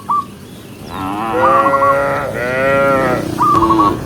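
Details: A long, steady, richly harmonic moo from one of the tame cows herded along a highway, followed by a second sustained low, with brief high chirps at the start and end.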